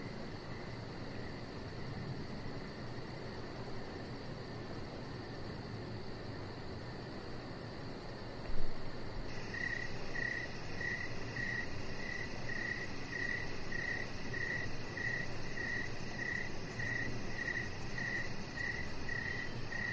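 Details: Evening deck ambience. Low rumbling outdoor noise fills the first half with no chirps and a brief thump. Crickets then begin steady high chirps, close to twice a second, through the rest.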